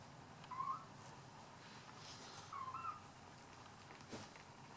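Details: Bengal cat giving two short, quiet meows with a slight rising bend, about two seconds apart, over a soft indoor background hiss.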